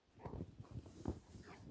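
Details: German Shepherd named FLY playing in deep snow outdoors. It gives low, rough, breathy grunts and huffs, about six short bursts packed into under two seconds, irregularly spaced, over a steady faint high hiss.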